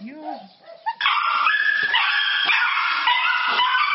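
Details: Dog overjoyed at seeing its owner, letting out loud, high, wavering whines and yelps that hold steady then step up and down in pitch, nearly continuous after a brief quieter opening.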